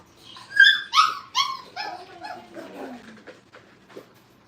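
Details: Five-week-old Brittany puppies playing at a training kennel: a run of high whining yelps and whimpers, strongest at the start, then fading into softer lower whines over about four seconds.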